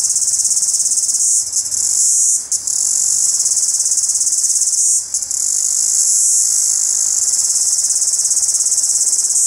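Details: A single cicada calling in the morning daylight gives a loud, shrill, unbroken buzzing drone, pausing only briefly a few times.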